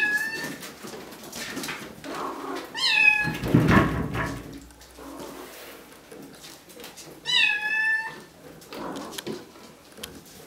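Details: Bengal kittens at Wildrose Bengals, where three litters share the space: two kittens nearly 8 weeks, eleven aged 5 weeks. Three separate thin, rich-toned meows, each gliding slightly downward, spaced by quieter rustling and a soft thump.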